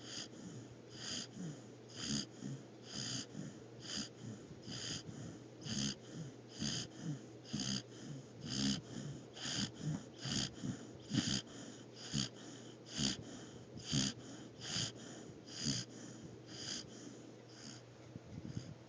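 A sleeping Australian Shepherd snores with quick, raspy, wheezing breaths, about one per second.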